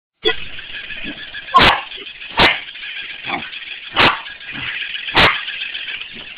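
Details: A corgi gives sharp, single barks about every second over a steady mechanical whir, playing with a mechanical ball.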